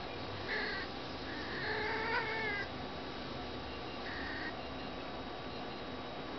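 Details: Neutered male cat mounting a female cat; three short, wavering, drawn-out yowls near the start, middle and later part, over a steady background hiss.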